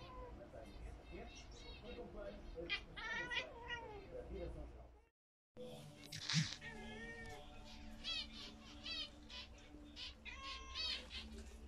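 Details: Domestic cat meowing indoors while watching pet zebra finches, as if trying to talk to them: drawn-out, bending meows, one near three seconds and another after a brief gap, over soft finch chirps and a woman's voice.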